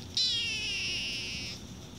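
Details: Sasha, a female Siamese cat, gives one drawn-out, high, wavering meow lasting over a second.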